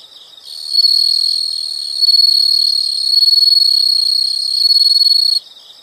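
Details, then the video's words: Insects in nature: faint pulsing, then a loud, piercing, steady buzzing trill swells in and holds for about five seconds before cutting back to soft chirps. "the sound of insects"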